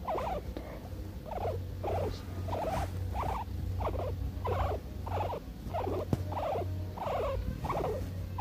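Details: A female guinea pig purrs contentedly while being petted, in soft, rhythmic pulses over a low steady rumble.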